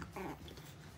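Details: Pug puppy on its second day in a new home, left alone indoors with a man who is afraid of animals; one brief, soft whimper with stacked tones lasting a fraction of a second over a low room hum.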